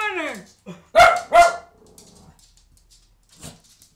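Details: Cavalier King Charles Spaniel, frightened by a new toilet seat, starts with a falling whine, then fires two quick loud barks in a small room, followed by faint muffled sounds and one short soft noise.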